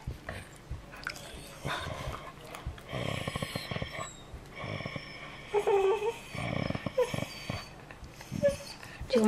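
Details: Collies Diamond and Goldie vocalizing indoors before bed to ask to go out; short whining, growly dog sounds come in bursts between a woman's coaxing speech, with background music.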